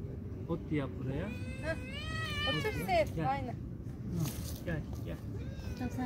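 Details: Street kittens quarrelling after being fed: a drawn-out, wavering kitten scream with rich harmonics rising and falling through the middle seconds, shorter cries around it, and people talking in Turkish throughout.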